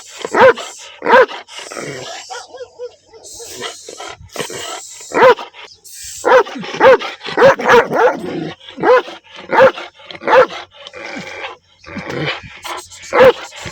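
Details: Black dog with white markings barking angrily outdoors: bursts of sharp barks separated by short gaps, some clustered quickly, with faint background noise between.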